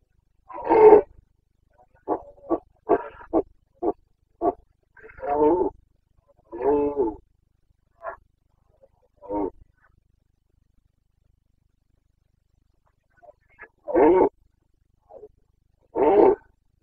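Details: Wild Carpathian red deer stag bellowing in the Bucovina mountains in the breeding season, 29 September 2022: a strong opening roar, a series of short staccato grunts, longer hoarse roars, a quiet gap, then two more roars.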